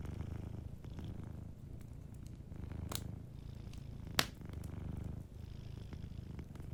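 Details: Gentle purr of a sleeping cat by the fire: a low, even rumble in repeating breath-length swells, punctuated by two loud crackling pops from the fireplace and faint hiss of flames.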